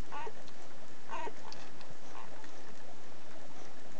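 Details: Schapendoes puppies one week old let out two brief, thin squeals about a second apart, then only faint shuffling and pattering noises follow.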